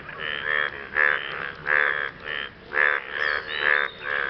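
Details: Frogs calling after rain to impress a partner: a run of raspy, pulsed croaks, roughly nine in four seconds, with louder and softer notes alternating in an uneven rhythm and no other clear sounds.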